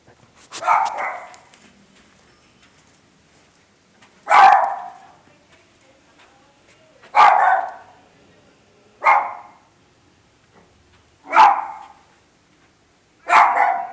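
A dog gives single loud barks, spaced a few seconds apart.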